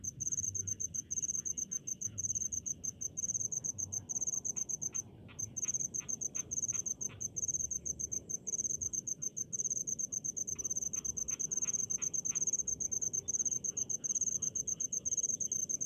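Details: Crickets in rice paddies trill in near-continuous high, rattling pulses, broken by one short pause, while fainter lower clicking calls of other insects come and go.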